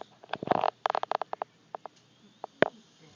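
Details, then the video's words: Brutus, an English bulldog, snoring while asleep: rapid fluttering rasps in two bursts during the first second and a half, then scattered short snorts and rattles separated by quiet pauses. "Brutus snoring"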